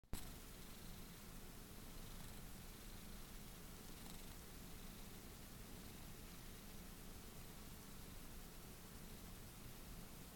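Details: Domestic cat purring while wanting to be held, a cat that loves being picked up; a soft, steady low rumbling purr runs unbroken for about ten seconds, quiet and even throughout.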